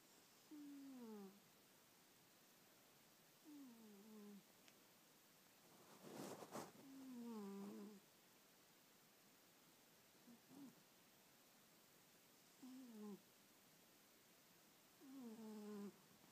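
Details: Sleeping old domestic cat snoring indoors: soft tonal snores that slide downward with faint overtones, coming every two to three seconds, with a brief rustling burst midway through a quiet room.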